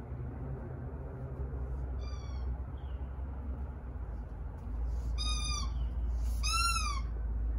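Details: Domestic cat playing with a leaf, giving three clear meows: a short one, then two longer, louder harmonic-rich calls that rise and fall, over steady low background hum.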